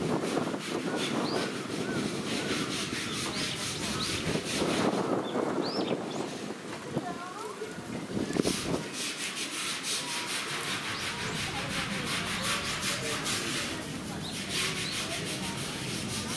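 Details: Indian crested porcupine at Hamura Zoo, Tokyo, 8 April 2018, threatening: dry, broadband rasping and rattling rustle sustained throughout, with brief louder clattering bursts, faint voices of people in the background.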